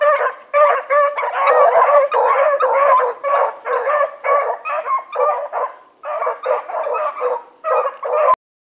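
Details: Evening run of four pack dogs, Choco, Dino, Johnny Ringo and Mingo of the Blackreek pack, 16 August 2014: bursts of overlapping barking and howled bays with short pauses, ending abruptly in silence.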